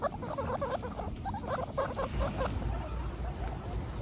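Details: One-week-old baby guinea pigs, kept as pets among a group of 29, give a run of short, rapid, high squeaky chirps over the first two and a half seconds. Soft rustling and shuffling follow in a quieter stretch.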